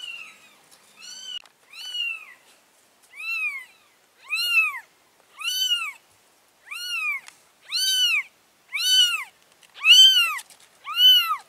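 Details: Mother cat carrying her four kittens into a new place; a steady run of about ten clear, arched, high meows, each roughly a second apart and growing louder toward the end, in a quiet indoor setting.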